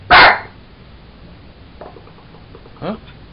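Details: A Jack Russell Terrier busy with a toy monkey lets out one loud, abrupt bark at the start, followed by a person's voice talking to it.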